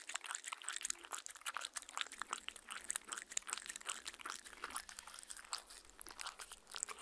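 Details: Mindy the dog lapping water from her fancy glass indoors, close-recorded on a Tascam R-40: a fast stream of wet, crisp clicks and splashes with no talking, steady and dense throughout.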